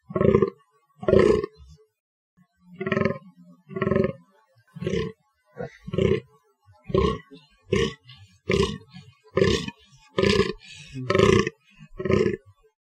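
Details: Rhythmic series of about thirteen rough, guttural fallow deer groans, each short and throaty and spaced roughly a second apart, with a brief gap after the first two; quiet background.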